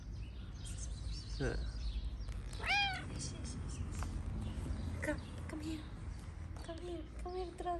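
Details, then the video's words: Stray street cat in Morocco meowing for food, drawing other cats to come. One loud, arched, rising-then-falling meow, followed by shorter meows and a run of quick meows near the end, over a man talking and steady traffic noise. "The cats heard a cat meowing for food, so they all came."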